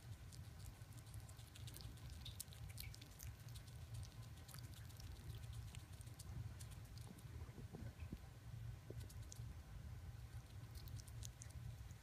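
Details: Pet chipmunks eat corn during corn season, making steady, quick, crisp crackling bites over a low background rumble.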